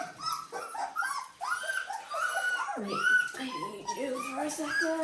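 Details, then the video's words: Litter of Dalmatian puppies aged 17 days making continuous high whiny squeals and whimpers that slide up and down, several pups calling over one another, with faint background voices. "Dalmatian puppies day 17"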